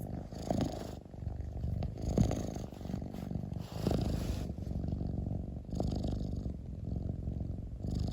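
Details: Domestic cat purring: a low, throbbing rumble that swells and fades with each breath, roughly every one to two seconds, with faint clicks over the drone and no other sounds.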